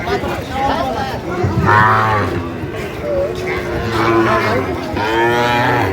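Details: Sahiwal bull calves at a cattle market in Chuadanga, Bangladesh, recorded 9 June 2025, give repeated low harmonic moos with rising, wavering overtones, about three calls in six seconds, while buyers and sellers talk and bargain nearby.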